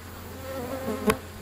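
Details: Feral European honey bees at a wild hive entrance beside a Florida river, growing agitated at the close observer; a low, wavering hum rises and falls as bees fly close.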